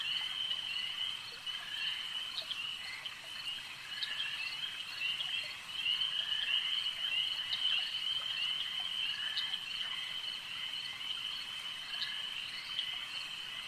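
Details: Frogs at a lake keep up a dense, even croaking chorus with a bright high ringing band on top, punctuated by short sharp pulses roughly every second or two.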